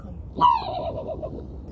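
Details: A trapped, very aggressive raccoon, caught from an attic on a freezing morning around 8 o'clock and trying to bite, gives a single sharp, dog-like bark that drops in pitch and trails off in a rough, wavering quaver.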